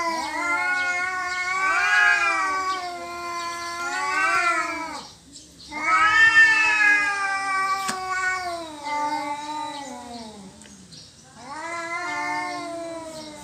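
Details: Two cats quarrelling over territory, trading long wavering yowls that rise and fall in pitch, broken by short pauses, continuing through the whole stretch with rich harmonic wailing.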